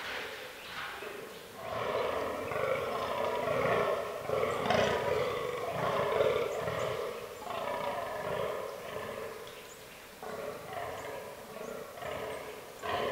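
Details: Rutting fallow deer in an autumn forest, with a buck groaning in a fast, steady run of deep, belching pulses that keeps going for most of the stretch, then pauses and picks up again briefly near the end.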